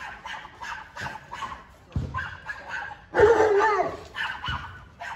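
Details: Alaskan Malamute barking and going crazy when another dog shows up, protecting his territory; a run of short harsh barks with one long loud drawn-out bark-howl in the middle.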